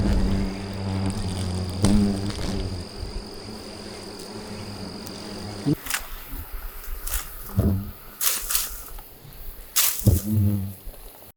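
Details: Yellow-vented hornets buzz loudly and steadily, swarming around the microphone after their football-sized nest in bushes is disturbed by branch cutting; they attack black things like the mic windscreen, reminiscent of bears.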